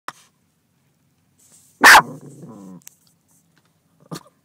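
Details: Pet dog in a car barking at another dog in another car: one sharp, loud bark followed by a short whining, growly tail, with quiet gaps before and after and a faint click near the end.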